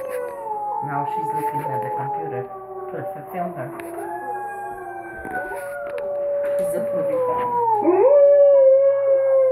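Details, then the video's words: Alaskan Malamute, a pet female dog, howling while watching wolves online: long sustained tonal howls with gliding pitch, overlapping a second howling voice from the played wolf footage, rising in loudness toward the end. "Alaskan Malamute Howls And Watches Wolfs On YouTube"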